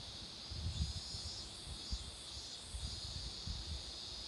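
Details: Roadside cicadas near blooming marigolds keep up an unbroken high-pitched buzzing hum, partly masked by scattered low thuds and rumbling noise.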